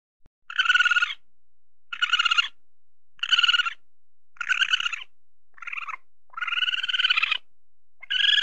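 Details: Weasel (musang), tame, looking for food. It gives a series of pulsed, nasal chattering bursts roughly every second, mostly evenly spaced. One burst near the end is drawn out longer.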